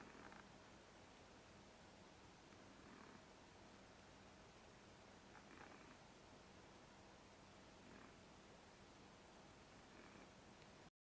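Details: A male cat snoring very softly, with faint breathy snores recurring about every two and a half seconds over a steady background hiss.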